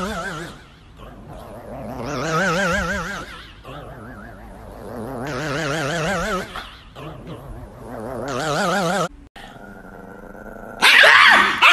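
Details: An angry female Chihuahua gives long, rolling, wavering growls broken by short pauses.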